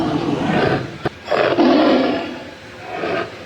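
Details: Tiger roaring, an animal said to be found in zoos; harsh, broad growling bursts, a loud opening roar, a brief gap, then a stronger sustained roar and a softer trailing one.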